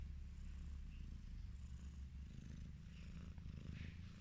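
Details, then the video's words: Highland Lynx cat purring while being petted, a steady low rumbling drone that continues throughout with no breaks, with faint soft background sounds. "The relaxing sound of a cat purring"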